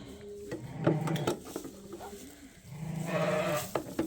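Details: Sheep at Ewetopia Farms, in a pen where newborn twin lambs are being tagged beside their mother; a wavering, nasal bleat swells in the final second, over soft repeated dove-like cooing and a woman talking.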